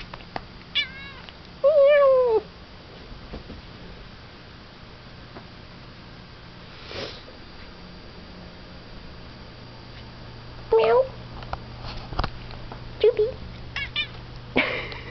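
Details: Pet cat indoors makes a quick chirp, then a drawn-out falling meow, later a few short chirping meows after long quiet stretches; soft room hum and small knocks throughout.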